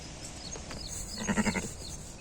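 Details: Sheep that gave birth to a six-legged young, heard in a short, tremulous bleat: a low, pulsing, quavering voice lasting about half a second, over steady background hiss with faint rural noise.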